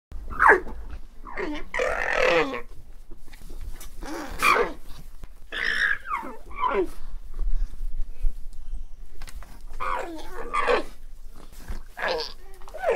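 An alpaca gives a series of loud, wavering, bleat-like cries, each lasting about a second.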